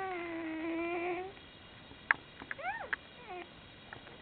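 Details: Komondor puppies, a day old, whine: a steady mid-pitched whimper held for over a second, then several short arching squeaks that rise and fall, with soft rustling between them.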